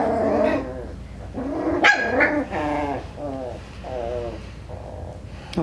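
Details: A litter of five-week-old Coton de Tulear puppies, Hannah's pups, keeps up continuous yodelling growls and whiny barks, with a couple of sharper yelps near two seconds.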